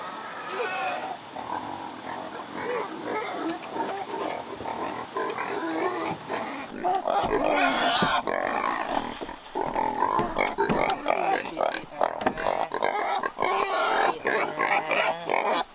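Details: Captive wild boars kept in rural Vietnam, with sows given a nest to give birth. Dense, overlapping rough grunts and squeals run throughout, with harsh noisy bursts and loud scraping sounds around the middle.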